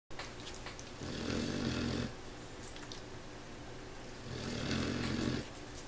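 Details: Tink, a puppy, snoring while asleep indoors: two long, raspy snores, each a breathy rattle with a low rumbling tone lasting about a second, separated by quiet, softer breathing.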